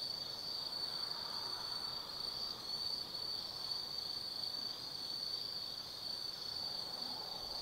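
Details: Forest insects of autumn calling after dark at Tsukimi no Mori, Gifu Prefecture, overlooking the lit Nobi Plain: a piercing, even trill held without pause, higher chirps pulsing in short bursts, faint background hum.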